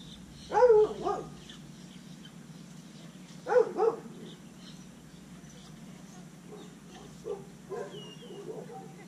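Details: Pablo Pinto, a scared, undersocialized rescue Rottweiler Catahoula Leopard Dog mix caught in the Redlands area of South Florida, gives two short, husky doubled barks about three seconds apart, then a few softer muffled sounds over a quiet background.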